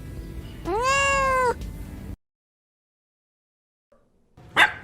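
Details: Cat giving a single drawn-out meow, rich in harmonics, that rises slightly and then falls over about a second, followed by silence and a brief noisy burst at the end.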